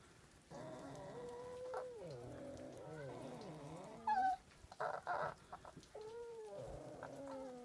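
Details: Foxes fighting in winter at Zao Fox Village, Japan: loud wavering, harmonic whining cries that rise and fall in pitch, broken by several short harsh bursts around the middle, with light background patter.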